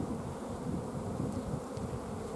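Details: Honey bees humming inside a hive at the apiary on 14 June 2016. The colony, short of forage, has stopped the queen laying eggs. The buzz is steady and heavier in its lower tones, with slight fluctuations in loudness.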